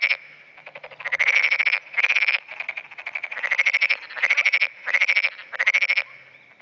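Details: Continuous calling from a black-spotted pond frog at dawn in June 2009, calling more often as surrounding frogs join in: seven or eight harsh pulsed croak bursts, each under a second, repeated steadily with short gaps.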